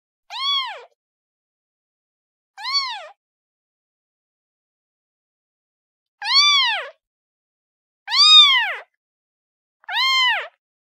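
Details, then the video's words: Kitten calling for its mother with five loud, clear, high meows, each rising then falling, spaced irregularly over eleven seconds with silent gaps between, and no other sounds. "SUARA ANAK KUCING MEMANGIL INDUKNYA"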